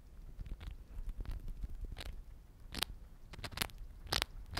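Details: Siberian chipmunk named Momo eating small-animal egg biscuits (tamago boro): rapid dry crunching and biting bursts, some sharp bright cracks standing out over a soft steady rustle, in a quiet indoor setting.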